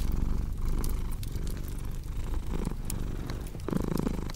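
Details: Short stretch of a cat's low, throbbing purr in rhythmic pulses, with crisp fireplace crackles and a brief rustling sound toward the end.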